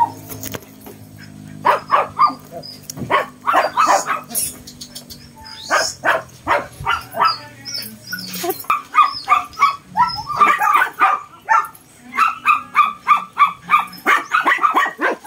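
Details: Shih Tzu versus Belgian dog, the tiny one brave; bursts of rapid, high yapping barks with short pauses between volleys, faint background voices early on.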